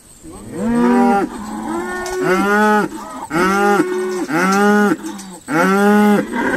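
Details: Irish Dexter cows sorted at Stone Meadow Farm, calling in a run of about six loud, rich moos, each roughly a second long with a slight arched pitch, some overlapping, separated by short gaps.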